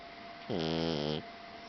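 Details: Blue Persian tomcat snoring in his sleep: a single drawn-out, buzzy harmonic snore lasting under a second, steady in pitch, with a faint constant hum behind.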